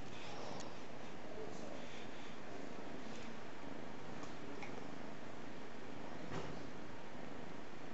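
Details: Caprice, a five-month-old kitten, gives a soft, low, continuous rumbling purr with a steady fast pulsing texture throughout, quiet and close, with a few faint clicks over it.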